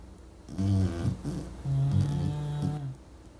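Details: English bulldog asleep and snoring during a dogs' snoring contest, two low, rough, buzzing snores in close succession, the second long and even before fading to soft breath.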